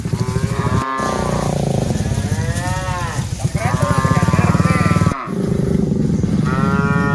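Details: Dozens of cattle being herded, several overlapping long harmonic moos, some rising then falling, with brief cuts between calls and a low rumbling background.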